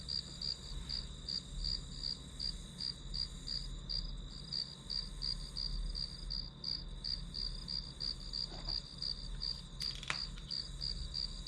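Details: Grass insects used as hour-long study background: a high pulsing chirp about three times a second above a constant shrill tone, with a low rumbling hum throughout and a sharp knock around ten seconds.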